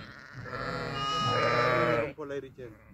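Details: A grazing sheep lets out one long, drawn-out, wavering bleat lasting about two seconds, followed at once by a person speaking Italian.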